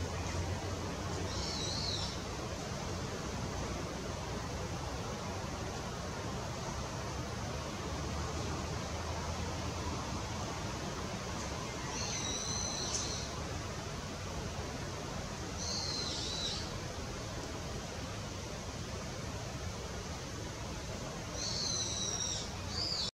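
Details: A Japanese giant flying squirrel (Petaurista leucogenys), recorded on 3 May 2018, gives brief, shrill, high-pitched calls at irregular intervals over a steady rushing background.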